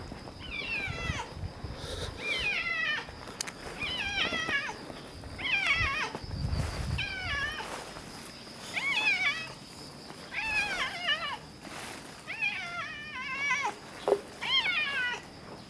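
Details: Early morning outside a park, two red tabby cats in a tense encounter: a long series of warbling, wavering yowls repeats roughly every one to one and a half seconds, each call bending up and down in pitch, with faint outdoor rustle.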